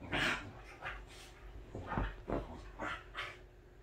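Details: Pet Welsh Corgi at home in its best mood, giving a run of short breathy snorts and panting huffs, a loud burst at the start followed by about six softer irregular puffs; quiet indoor background.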